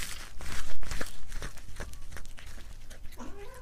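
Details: A cat eating, close-miked for ASMR: loud crunches early, then softer chewing clicks, ending with a short, faint rising meow-like note over steady low hum.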